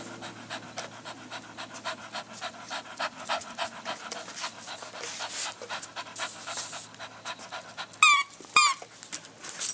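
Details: Blue Staffordshire Bull Terrier Bella picking and biting her Halloween Kong Wubba Vampire toy; steady rapid panting, almost two breaths a second, then two bright squealing toy squeaks close together near the end.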